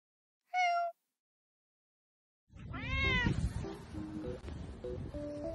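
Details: Korean street cat giving a short clear harmonic meow, followed by a louder arching meow and background music with melodic notes.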